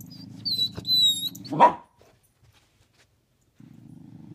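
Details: Corgi and pit bull at play in hide and seek under a bed: low buzzing growl for over a second, broken by one loud sharp bark, a silent gap, then the rumbling growl starting again.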